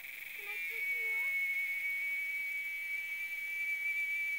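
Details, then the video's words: Cicada calling from a tree in the RGV: a loud, steady, shrill electric drone holds one high pitch throughout, with a soft human voice murmuring briefly near the start. "Cicada in the RGV"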